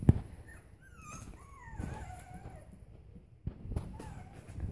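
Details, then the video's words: Kit, a five-week-old Bolonka puppy, at play indoors, gives a run of thin, high whimpers that slide downward in pitch, several in quick succession, then a short pause and one more soft whine, with rustling and light knocks behind. "Bolonka puppy 5 weeks old. Kit playing"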